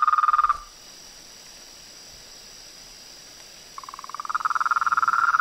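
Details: Pond frogs, toads and treefrogs at nightfall; a pulsed trilling chorus stops abruptly, leaving a quiet gap with only a faint high hum, then resumes and builds to rapid, loud pulsing.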